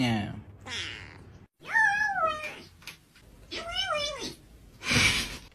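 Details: A male pet cat, apparently hungry, meows indoors. Two long, wavering meows bend upward and then down. A woman's voice speaks over the start, and a short burst of noise comes at the end.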